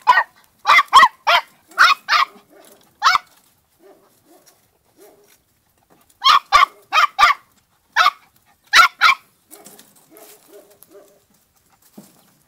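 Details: In a riding paddock, a two-month-old female Podenco de Cuevas puppy yaps in two rapid bursts of high barks, with soft, low whines and grunts in the quiet gaps between.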